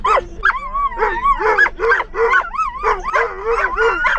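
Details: Excited dogs riding in a car, realizing they are headed to the park, howl nonstop: rapid overlapping yips and wavering, rising-falling whines, roughly three bursts a second, forming a noisy chorus.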